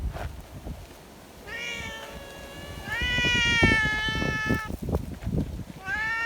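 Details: Community cats clustered together in strong wind, wanting to be stroked; loud, long, strongly harmonic meows, one stretched nearly two seconds, followed by a shorter call, over steady wind noise.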